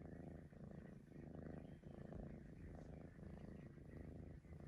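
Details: Close, steady purring from a Maine Coon cat said to whistle. The throaty rumble surges in uneven breath-paced waves, briefly softening between inhales and exhales, with a thin hum of higher tones above.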